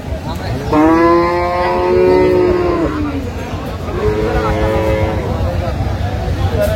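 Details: Improved-breed dairy cow at Aftabganj cattle market, Dinajpur, on 17 June 2025: a long, deep, harmonic moo of about two seconds, then a second shorter, lower moo after a pause, with crowd chatter and traffic hum throughout.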